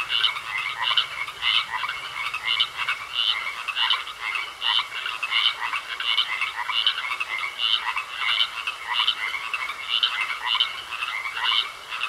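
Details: Frog chorus in a pond: quick rattling croaks repeated without pause, several frogs overlapping, loudness rising and falling, a low hum fading out early.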